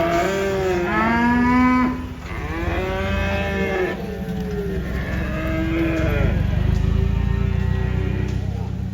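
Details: Cattle being unloaded from a truck, one having rolled over: loud, deep moos with rich harmonics, several drawn-out calls rising then falling, over engine rumble and low background noise.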